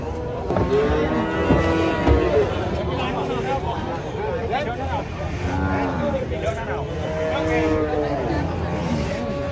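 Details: Huge cow raging during loading beneath a tree. She bellows in repeated, rising-then-falling moos, one after another, over low engine-like rumble and people's voices.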